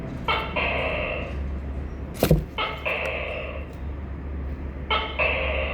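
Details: Tokay gecko giving three two-part calls, each a short sharp note followed by a longer, harmonically rich, nasal syllable, spaced about two seconds apart, with a brief click between the first and second call and a low steady hum beneath.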